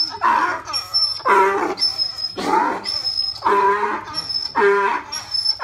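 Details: Donkey at Oji Zoo braying loudly after suddenly starting to run around in circles; harsh rasping heehaw calls in a rapid series, each burst broken into pulsed, honking strokes, about one per second throughout.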